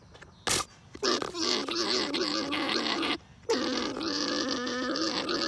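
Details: Gargling, droning vocalisation of alpacas while breeding, steady and harmonic with a wobbling pitch, sustained for several seconds. A sharp short noise comes before it, and there is a brief pause midway.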